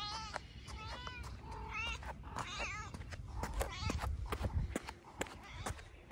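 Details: Kitten crying out around a plate of chicken and fish it pounced on; a run of wavering meows in the first half, then clicks and knocks as it eats, with low rumbling underneath.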